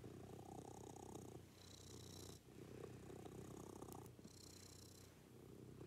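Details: Morning routine with a pet cat purring: a close, rumbling purr in alternating breath phases, short pauses between them, and a faint high whine over some exhalations.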